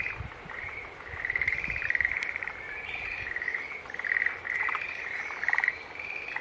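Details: Green tree frogs calling together: overlapping buzzy, pulsed notes at a steady mid-high pitch, swelling and fading in bursts about every second, with faint clicks and low background rumble.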